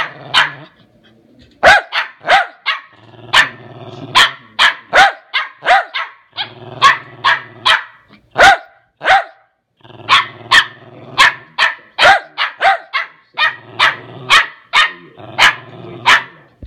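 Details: Lakeland Terrier barking at length: loud, sharp barks in rapid runs of two to four, broken by brief pauses, with low growling rumbles under and between the barks.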